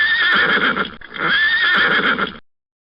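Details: Pony whinnying twice in succession, each a loud, shrill, wavering neigh lasting about a second, the second slightly longer, ending abruptly into silence.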